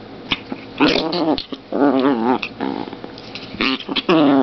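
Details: A 2.7 lb long-haired female chihuahua growls while playing indoors. She gives wavering, throaty snarls in several bursts of about half a second to a second, with short pauses between them.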